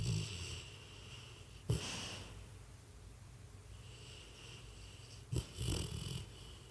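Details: Sleeping dog Freddy snores and twitches; a short sharp snort near the start of the second and again after five seconds, each followed by a breathy rasping snore, with soft background hum between.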